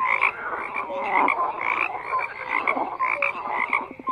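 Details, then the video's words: Crowded frog chorus of rapid croaks layered over one another, bright clicking pulses and brief whistle-like notes recurring roughly every half second without a pause. "FROGS CROAKING"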